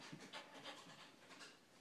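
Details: Female red Standard Poodle puppy, 5.5 months old, panting softly in a dark living area at night during a dog puzzle game; quick, breathy, rhythmic pants, quiet and steady throughout.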